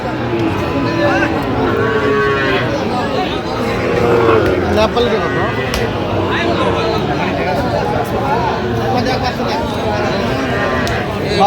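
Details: Four- to five-month-old Sahiwal bull calves being sold at a Mymensingh cattle market, Bangladesh, 11 October 2025; brief, low moos rise out of dense market noise, with crowd chatter and nearby voices throughout.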